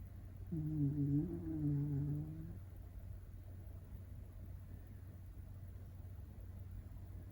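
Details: Shiba Inu puppy under a year old snoring in its sleep: one quiet, low, tonal, slightly whistling snore of about two seconds with a steady faint hum beneath, then stillness.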